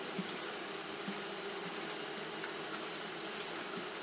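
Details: Steady buzzing of Japanese honey bees fanning at the hive during hot weather, a constant low drone with faint flickering tones near 200, and a bright continuous hiss above.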